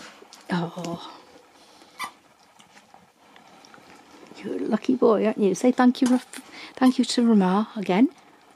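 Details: Nook, a husky, indoors at Easter with his Easter egg, talking: a short burst, then a run of drawn-out, bending woo-like yowls that rise and fall in pitch, one after another, with a person's voice mixed in.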